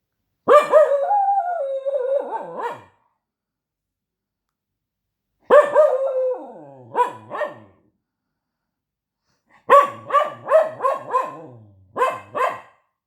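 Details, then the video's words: Dog barking, protesting and 'talking': a long wavering howl-like vocalisation lasting about two seconds, another after a pause, then a quick run of short sharp barks near the end, with silence between bouts. "DOG barking / protesting / talking"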